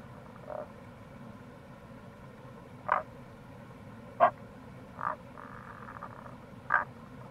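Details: Tago's brown frog (Rana tagoi) calling in April near a gorge at the Kamo River, Itoshima, Fukuoka, Japan: short low croaks, five in about seven seconds, each a brief pulse, with a faint purring trill between them over a steady stream-like hum.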